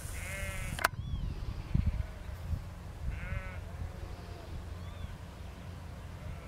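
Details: A lamb or sheep in a field, worked by Lars, a four-year-old Border Collie sheepdog, bleats twice, each a short wavering cry about three seconds apart, with a sharp thump and low rustling outdoor noise between.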